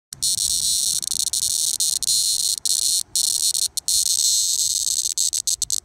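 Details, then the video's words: A captured Linne's cicada (Neotibicen linnei), handheld in Middletown, New Jersey, gives a harsh, high buzzing alarm squawk, broken by abrupt stops and stutters. "Neotibicen linnei cicada alarm squawk"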